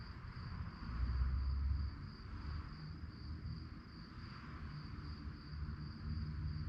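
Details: Crickets chirping in the night form an even, rapidly beating high trill, accompanied by a deep rumble that rises briefly near the start.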